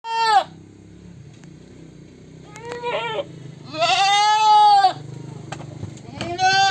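A goat gives several loud, nasal bleats, one long and wavering, between shorter cries.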